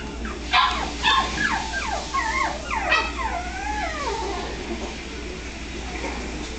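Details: Miniature Pinscher puppies, Los Angeles area, California: short yips and whimpers cluster in the first four seconds, with falling and wavering whines that overlap. They fade into quieter hum toward the end.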